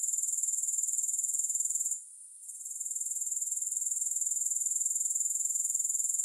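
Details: Grasshoppers trilling with no music: a shrill, very high chirring pulsed about four times a second. It breaks off for roughly half a second near the two-second mark, then resumes steadily.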